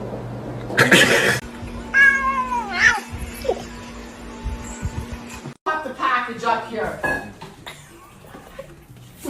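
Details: Domestic cat indoors gives a drawn-out, falling meow about two seconds in and a shorter meow near six seconds, over a steady low hum, with a person talking nearby.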